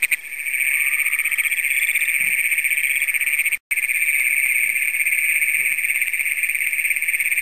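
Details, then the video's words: Great Plains toads trilling after dark on June 27, 2010, in Brown County, Minnesota, the first documented there, recorded with a Canon PowerShot SX100. A shrill, continuous, pulsing trill with a softer, lower trill briefly overlapping, and one short dropout. "Great Plains Toads in Brown County, Minnesota"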